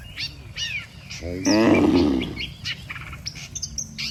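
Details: Dozens of cattle lined up along a road, one lowing as if calling the herd home to the pen: a loud, deep harmonic moo lasting about a second, with chirping birds around it.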